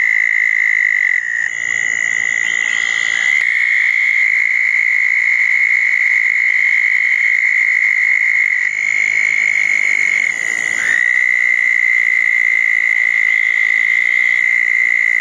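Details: Chorus of southern toads gathered at a pair of small ponds after a June 2014 thunderstorm at night; continuous high-pitched trilling, with brief breaks where the pitch dips and overlapping callers shift, then resumes steadily.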